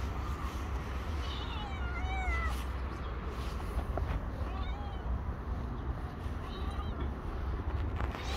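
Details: Stray cat, hungry and climbing on a shoulder, making several soft, short meows spread across the recording against constant low urban rumble.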